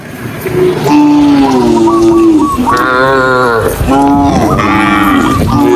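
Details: Several tame cows being herded through sunny afternoon countryside fields moo in long, overlapping, drawn-out calls that waver and slide in pitch.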